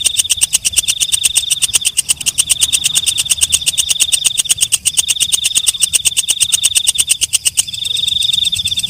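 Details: A walang kecek, or night katydid, gives a long run of quick, evenly spaced clicks over a sustained high hiss. Near the end the clicking breaks off into a smoother shrill tone.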